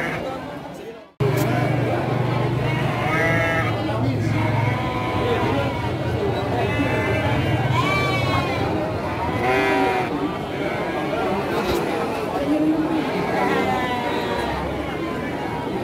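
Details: Garut sheep ewes for sale at the Andir sheep market in Garut, Priangan, on 5/4/2021: several wavering, arched bleats rise and fall over a constant din of crowd chatter and voices.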